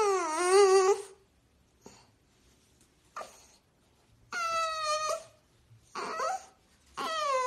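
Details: French Bulldog in a compilation of funny moments, giving long high whining howls with rich harmonics, first a rising-falling wail, then several shorter whines after quiet gaps, with faint clicks between them indoors.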